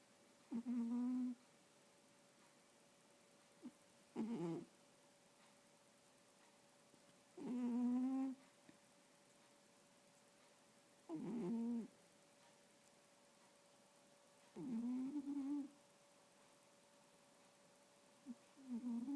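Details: Domestic cat asleep and dreaming, letting out six low, tonal snores about every three to four seconds. Some hold a level hum, others waver slightly in pitch, with quiet pauses and a faint indoor hum between breaths.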